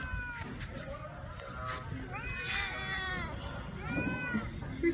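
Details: Cats meeting a black cat that lives at a pagoda: a series of short and drawn-out meows, some overlapping, with a woman's voice greeting the cats softly and faint rustling.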